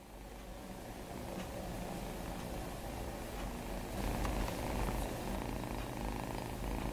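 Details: Two foster cats cuddling together, purring: a steady low rumbling throb at about four pulses per second, with faint rustling and a slight swell in loudness midway.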